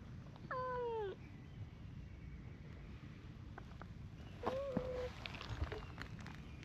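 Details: Two cats, a brown tabby and a tortoiseshell, quarrel while keeping an uneasy distance. A drawn-out harmonic yowl slides downward, and after a pause of about three seconds a second, shorter, level moan follows over a low background rumble.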